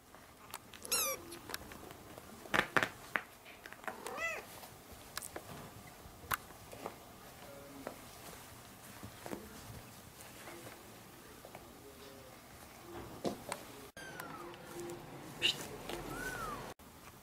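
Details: Kitten calling for its mother indoors. A few short high meows, each a rising then falling harmonic sweep, come near the start, around four seconds and near the end. Long quiet gaps between them hold faint clicks and room noise.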